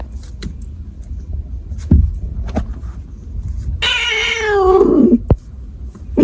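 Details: A cat lets out a single harsh, downward-sliding wail lasting over a second, preceded and followed by sharp taps and clicks.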